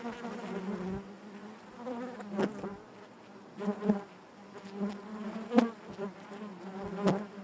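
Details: Continuous low hum of honey bees in the hive, overlaid by recurring short knocks or bumps roughly every second or so, each briefly boosting the buzzing.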